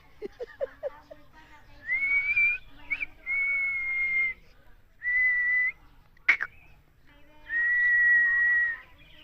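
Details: Puppies fighting: a few low clicks, then long, high, steady whines held for about a second each, separated by pauses, with one sharp snap between them.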